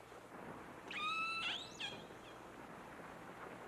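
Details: Distress cry of Namu, one of the first captive killer whales, recorded by hydrophone while being towed toward Seattle and Puget Sound with other whales nearby: a single harmonic tone held steady, then bending sharply upward, with a faint echo.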